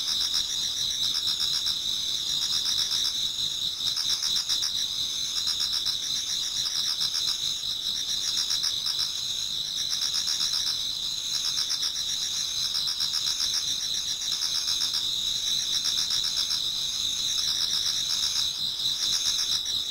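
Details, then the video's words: Many autumn insects singing together in a Japanese garden towards dawn: a steady high ringing band with a pulsing shimmer above it, and faint rhythmic chirps in short repeated bursts beneath. "Autumn Insects voice Towards dawn"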